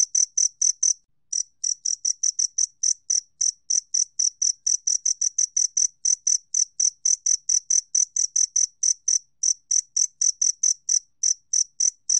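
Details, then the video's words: Long series of shrill, metallic chirps from a two-spotted cricket, National Institute of Biological Resources recording from 2020, about four per second with a short gap near the start, no background noise. "쌍별귀뚜라미, 여러번 듣기, 곤충소리"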